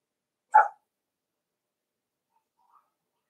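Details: Cavalier King Charles Spaniel puppies playing indoors in a home puppy pen; a single short, sharp bark rings out once, followed by near silence with only a tiny faint sound later.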